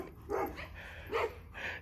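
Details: A dog, one of a Dobermann and Boxer pair, wants to play with its ball. It gives two short, deep barks about a second apart, then a softer, higher yelp at the end.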